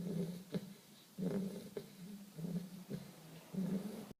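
A Bull Terrier puppy snores in low, rumbling breaths, each lasting about half a second.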